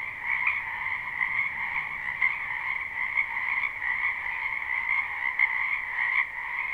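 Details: Springtime wetland frogs croaking en masse, captured live with no looping: continuous massed trills in two pitch bands, with brief louder pulses from nearer individuals popping out of the steady wall of sound.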